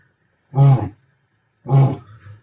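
Two heavy, throaty grunts from a lion, low and resonant, come roughly a second apart. Each burst is brief and forceful, with the second trailing off into a softer rumble.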